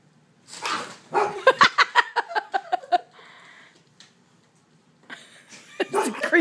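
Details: A female Vizsla gives a rapid run of sharp, frightened barks at a creepy doll in the dark, with people talking before and after.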